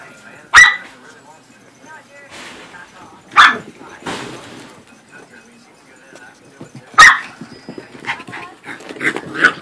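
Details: Corgi and Pomeranian romping in play, giving loud, abrupt barks spaced a few seconds apart, with scuffling noise and background talk filling the pauses and a cluster of lighter yaps at the close.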